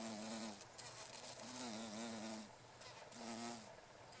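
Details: Buzz pollination by female carpenter bees on meadow-rue along a railway in Japan, August 2013; three short droning buzz bursts, the middle one wavering, each under a second long.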